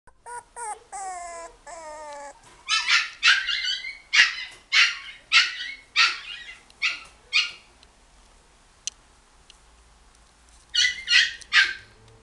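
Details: Miniature Dachshund puppy at a pet shop in Ginan, giving a few high whining yelps with wavering pitch, then a run of sharp repeated barks roughly every half second, a pause, and a final burst of quick barks.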